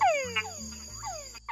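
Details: In Panama, a male túngara frog gives its mating call, a whine sweeping steeply downward, given twice, that draws in females.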